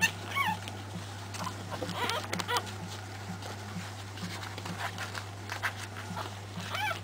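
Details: Three-week-old Pekingese puppies from one litter giving thin, high whimpering squeals that rise and fall in short arches, scattered across the stretch over a steady low electrical hum.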